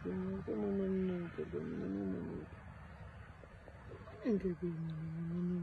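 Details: Abandoned rescue puppy found at the side of a road, with advanced mange and worms, crying in fear: long, wavering, whistly whines in two bursts, some sliding up then falling, with a quiet gap between and faint voices.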